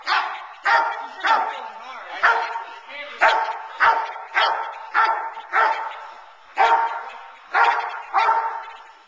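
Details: Teal, a 9-month-old Boerboel bitch, barks during protection training while being frustrated off the sleeve to keep her focused on the man and build intensity. Deep, harmonic barks come in a steady series, roughly one every 0.7 seconds, with faint background voices.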